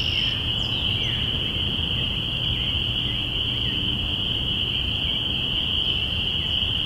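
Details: A dense chorus of spring peepers in early spring, recorded binaurally on April 5, 2017. Countless shrill peeps blend into one steady high ringing tone, with occasional faint slurred notes above and soft low rumble beneath.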